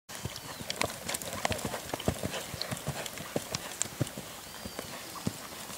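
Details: Lusitano stallion at a Brazilian stud farm, hooves clip-clopping in an uneven run of sharp knocks, roughly one and a half per second, with a man calling out shortly after and faint background noise.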